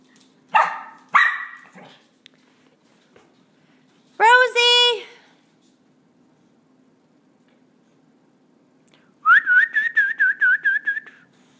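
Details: Rosie, a dog indoors trying to learn to go down the stairs while people coax her. Two short yelping bursts come first, then a brief voiced cry, and a high, wavering whine pulses near the end.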